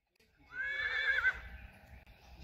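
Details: Friesian stallions or colts meeting in a field, one clear whinny rising sharply then wavering and fading over about a second, with low rumbling field noise beneath.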